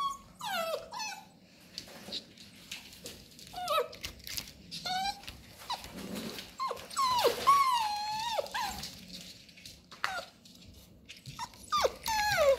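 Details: Labrador Retriever puppies playing with cardboard rolls indoors: a busy stream of high, sliding whines and short yips, many dropping steeply in pitch, mixed with low growly rumbles and scraping of cardboard.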